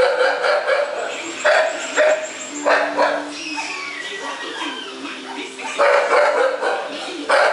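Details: Playful Thai Bangkaew dog in a kennel pen at Chumsangsongkram, Thailand, giving short, sharp yapping barks in loose clusters, quieter between them, with faint whistle-like tones and background noise.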